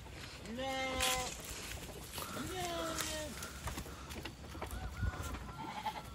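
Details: Sheep at a village garden during a morning family visit, giving two drawn-out bleats a couple of seconds apart, the second quavering and falling, while people talk and coax close by.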